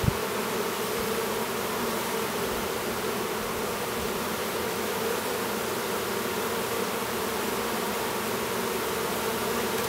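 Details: A new drone Western honey bee (Apis mellifera) chewing its way out of its cell at an apiary near Duluth, Minnesota: a steady, droning buzz with a low hum and layered harmonic tones.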